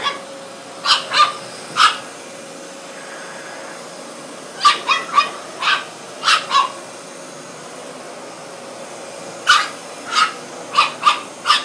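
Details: Young French Bulldog, 13 weeks, attacking a vacuum cleaner seen for the first time, yapping in bursts: an opening triple, a quick volley of five in the middle, then another string of six toward the close, all over a constant appliance drone.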